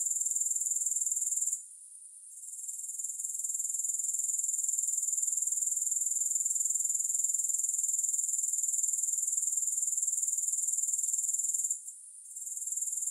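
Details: High-pitched pulsing drone of grasshoppers, about four beats per second, with two short pauses, one early and one near twelve seconds, otherwise unbroken; heard without music.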